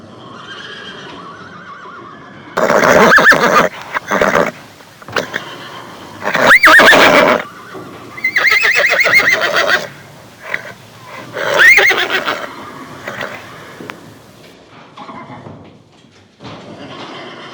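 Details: A farm horse (Equus caballus) whinnies in loud, shaking bursts, with quieter snorting between them.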